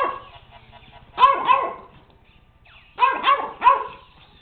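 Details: JJ, a pet puppy, barks at a robot dog: two clusters of quick high yips, two then three barks in close succession, separated by a quiet pause over a faint mechanical buzz.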